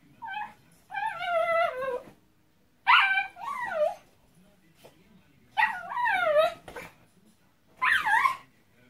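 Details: Miniature Pinscher being dried off after getting soaked in the rain, which it enjoys; four bursts of high, wavering, whining yips with bending harmonics, separated by short silences, in a quiet room.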